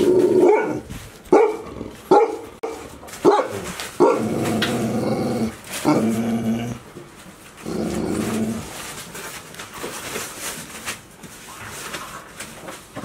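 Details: Golden Retriever puppies, 108 days old, three pups left together after two littermates went home, filmed 11 August 2018: short harmonic barks in quick bursts for four seconds, then longer drawn-out growling tones, with quieter room noise after.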